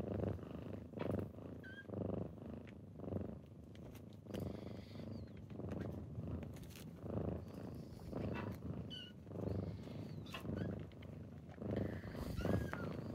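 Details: Purring kittens on a typical morning as they wake a person, an even low rumble swelling with each breath, plus a few faint high squeaks and soft rustling.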